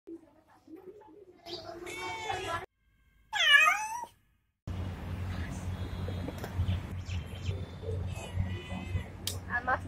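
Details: Pregnant friendly street cat in India meowing: a few short harmonic meows, then a loud, clear, arched meow that rises and falls, later several softer meows over a steady low hum and background noise.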